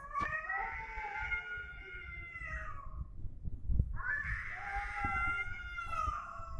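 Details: Domestic cats in a fight, yowling in long, drawn-out wavering wails that slowly fall in pitch, a brief pause, then a second rising, quavering howl, with low rumbling background noise.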